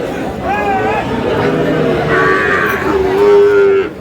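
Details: Sahiwal bull calf at Aftabganj cattle market in Dinajpur, Bangladesh, on 16 May: a short moo amid market chatter, with men bargaining over price nearby.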